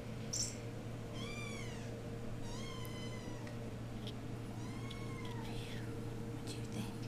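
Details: Eight-week-old RagaMuffin kittens of the Vikings litter, Imperial Rags, indoors: three separate plaintive meows spaced about two seconds apart, each arching up then down, over a constant low electrical hum and faint room noise.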